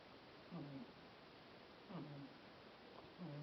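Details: Sprawled in the sun, the cat Mashka snores. Three low, rasping breaths come at an even, unhurried pace, each a short buzzy drone over quiet indoor background.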